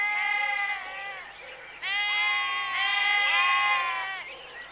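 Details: Sheep give drawn-out, trembling bleats. A short call is followed by a pause, then two long, loud, overlapping bleats.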